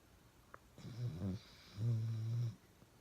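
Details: Uno the dog snoring really loud indoors: two deep, rumbling snores, a shorter one followed after a pause by a longer steady drone lasting under a second, with quiet room noise between.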